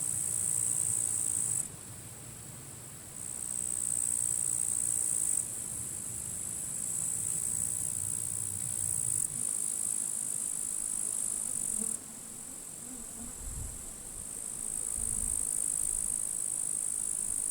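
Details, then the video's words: Grasshoppers in completely withered grass at a forest edge on a sunny end-of-July summer day, strong wind blowing, said to be fighting; high, hissing, buzzy trills in bursts of several seconds with brief gaps, over low rumbling wind. "Wind noise and grasshoppers crackling"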